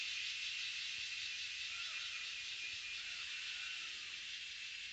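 Cicadas fill the air with a steady, high, hissing buzz that never pauses.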